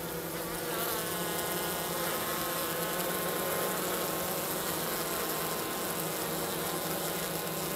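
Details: Honey bees of a Minnesota hygienic line near St. Paul, March 16th at 50 degrees, working at the hive entrance to remove winter dead. A dense, continuous hum holds steady, many wingbeats blending into one droning tone with layered overtones.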